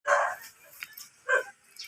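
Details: Miniature dachshund during mating at Baybay Lopez, Binmaley, Pangasinan, giving two short, sharp barks or yips about a second apart, with faint background noise between them.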